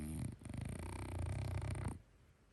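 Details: French Bulldog snoring in its sleep: one steady, deep, buzzing rumble lasting about two seconds, rich in low overtones, then fading to quiet.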